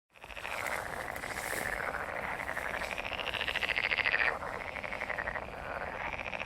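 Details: Frog mating chorus: dense, continuous trilling croaks from many frogs, pulsing rapidly with swells and fades in loudness, no other sounds clear.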